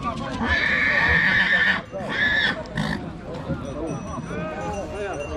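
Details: Two-year-old stallion colt at Dăneștii Chioarului, Maramureș, gives a loud, high, shrill whinny lasting over a second, then a second shorter whinny, with people talking throughout and faint music.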